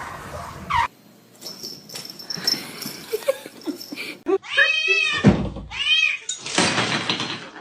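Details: Domestic cat giving a few drawn-out, harmonic meows in quick succession in the second half, after a stretch of muffled indoor noise and brief sharp sounds.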